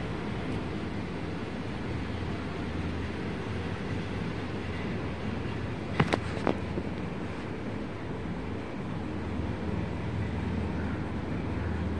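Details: Wind rumble and low vehicle noise continue throughout, with a couple of brief sharp clicks midway and no animal voice.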